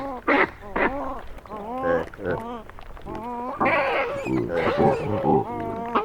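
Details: Hamadryas baboons, a mob in northern Ethiopia munching grain stolen from a passing truck, squabble loudly; harmonic, human-like wavering calls with rising and falling pitch overlap in rapid, irregular bursts, recorded close by on a Sony PCM D100.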